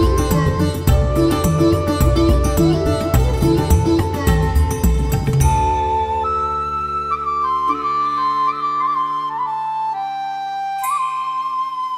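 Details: Busy plucked and percussive music fades into a solo flute melody over sustained tones, with no animal sound present.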